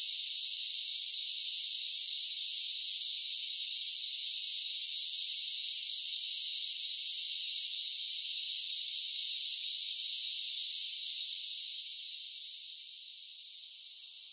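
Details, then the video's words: Cicadas singing in summer: an even, sizzling high drone holds constant for most of the stretch, then gradually fades quieter over the last few seconds. "10 Hours of Cicada Sounds for Relaxation with Soothing Summer Nature Sounds"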